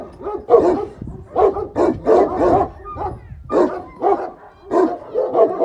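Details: A Šarplaninac dog barking in a steady series of deep, resonant barks, roughly two per second, with short pauses between them.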